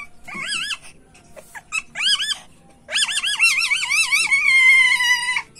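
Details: Male civet in heat, calling for mating: a string of high, wavering, warbled squeals in short bursts, then one longer trilling wail that flattens into a steady held squeal near the end.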